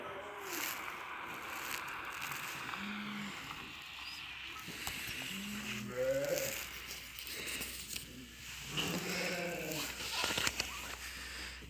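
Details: Lambs and sheep at evening feeding time in a village, heard as scattered wavering bleats over a constant broadband hiss, with a few short sharper noises.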